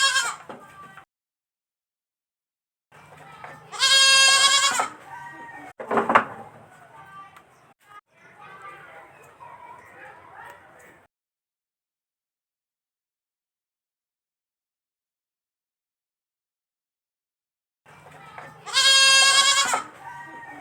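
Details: Baby goat on a farm giving loud, wavering bleats near the start and again near the end, harsh and richly harmonic, with a sharp knock and soft rustling in between and long silent stretches.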